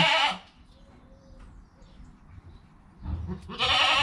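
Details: Newborn goat kid Joel, within his first hour of life, with his calm mother Penny nearby, captured on a GoPro: a bright, harmonic bleat opens the clip, quiet follows, then a second, longer bleat at the end.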